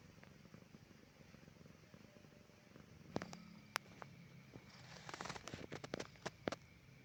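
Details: Pet cat at rest on a calm evening, purring to show contentment; a low, continuous throbbing rumble for the first few seconds, then overlaid by scattered clicks, rustles and handling noises.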